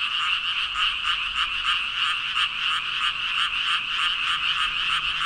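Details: About 5,000 frogs croaking en masse; within the dense chorus, pulses throb roughly three times a second in loose rhythm, rising and falling slightly in loudness, with no other clear sounds.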